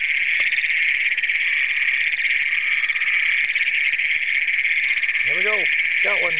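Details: Night chorus of Great Plains toads calling from a flooded cornfield southwest of Springfield, Brown County, Minnesota, June 27, 2010, on a Canon PowerShot SX100: an unbroken shrill, buzzy trill dominates, with a man speaking near the end.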